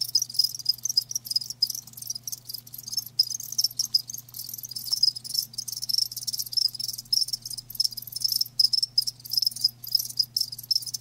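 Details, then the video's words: A long stretch of live crickets calling, high rasping chirps repeating densely and overlapping into a continuous chorus broken by momentary gaps, with a faint low hum beneath. "Live Crickets 60min "Natural Sound""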